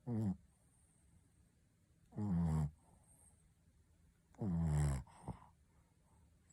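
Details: Pet Shih Tzu called Ponta snoring: three coarse, low, harmonic snore bursts roughly every two seconds, each about half a second long, with soft breaths in the quiet gaps.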